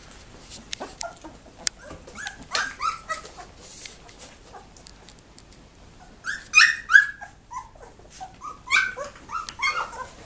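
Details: Two-week-old Labrador Retriever puppies, very active in their whelping box, in December: scattered short high whimpers and squeaky yips, clustering in busy bursts near the middle and end, with quiet gaps of rustling between.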